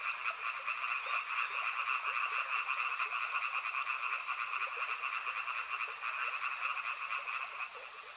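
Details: Many frogs calling together near a river, making an unbroken rattling drone of fast pulses at two steady pitches. Brief lower chirps stand out now and then over a soft hiss.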